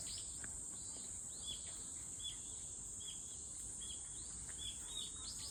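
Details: A continuous, even, shrill cicada drone holds without pause while several birds chirp and tweet intermittently underneath.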